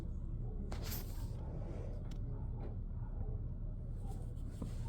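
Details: Indoor low rumble with a few sharp taps and clicks, and no animal voice.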